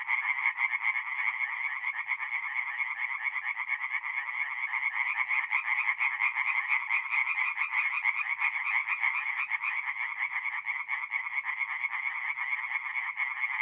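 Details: Many tree frogs calling together after dark at a woodland pond in north-east Italy in mid-April, their quick pulsed croaks merging into a constant, even, crackling trill throughout.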